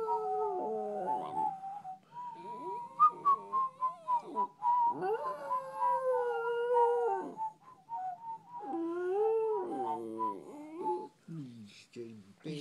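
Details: A pet Westie named Nessie howls like a wolf, giving sliding, quavering howls that swell and fall, with short yips near the end and a constant high whistle-like tone behind.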